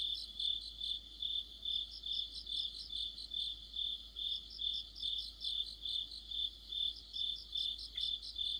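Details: Crickets and other insects singing together in deep autumn: a steady high chirping band, rhythmic pulses of about two to three per second over a faint continuous trill, with one brief lower sound near the end.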